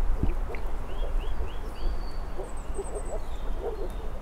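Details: A chorus of moor frogs gives muffled, low, bubbling calls in quick overlapping bursts. A single dull thump comes near the start, and a bird adds short rising whistles and thin trills overhead.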